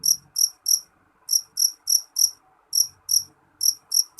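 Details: Jeliteng cricket calling loudly in short, sharp, high-pitched chirps, about three per second, in bursts of two to four separated by brief pauses.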